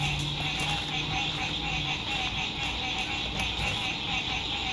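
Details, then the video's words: Frogs singing at sunset by a lake at a lakeside RV campsite in spring 2021, fine weather; a dense, steady, high-pitched trilling chorus with rapid pulsing fills the scene over a low rumble of distant road noise. "Sunset Frog Songs"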